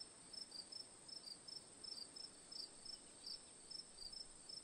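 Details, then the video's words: Cricket chirps as relaxing ambience: brief high, pulsed chirps recurring roughly every third of a second, some overlapping as if from two callers, above a continuous thin high drone and faint hiss. "Cricket Sounds for Sleep/Relaxation, Ambience, & Sound Effects"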